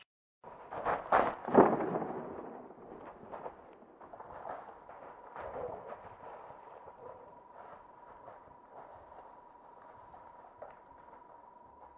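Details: A few loud, sharp bursts and rustling crackles stand out early, then fade into scattered clicks. A steady mid-pitched electronic hum runs underneath throughout, and no animal call can be picked out.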